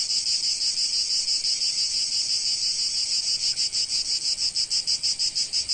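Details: Cicadas in sunny Provence buzz in a loud, high, continuous drone that pulses more sharply toward the end.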